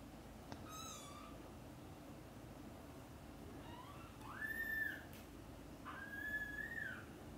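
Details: Mother domestic cat calling her playing and sleeping kittens to wake for lunch: a short chirp, then two drawn-out meows, each rising then holding level and falling slightly, in a quiet room.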